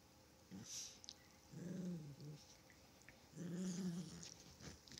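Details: During play, a Chihuahua makes two drawn-out, throaty growls, each close to a second long, with small taps and rustles around them.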